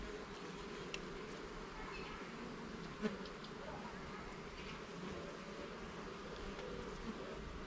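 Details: During an inspection of the hive's frames in a garden, honey bees produce an unbroken, steady drone, interrupted once by a brief knock or handling click near the middle.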